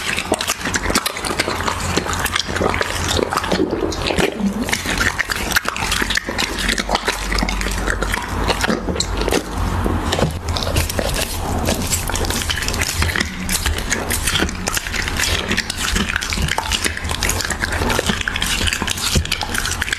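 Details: Siberian Husky eating raw beef, producing continuous wet smacking, crunching and slurping chewing noises with dense rapid clicks throughout.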